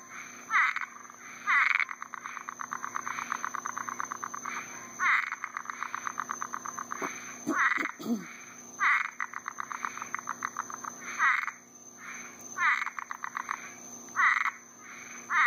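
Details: Florida frogs and toads in summer, at night after a rainstorm, croak in a chorus of fast, rattling pulse trains, calling to attract mates.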